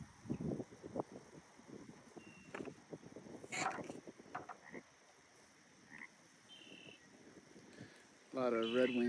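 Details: In spring at Grout Bay on the North Shore of Big Bear Lake, with snow still on the hills, frogs croak in quick, low, irregular bursts, with faint bird notes and a man talking at the end.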